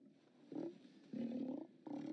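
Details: A Steller sea lion haulout on 29 October 2017, heard on a live cam: three hoarse, throaty roars in quick succession, the middle one longest at about half a second, over a low steady background.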